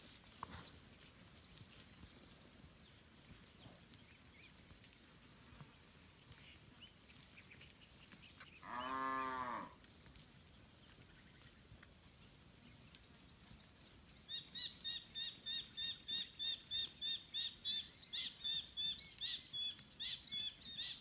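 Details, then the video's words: Village cattle from a large free-roaming herd grazing in a green rice field: a single loud, deep, harmonic moo lasting about a second midway, with faint rural background and a run of rapid repeated high chirps from other creatures toward the end. "suara sapi moo"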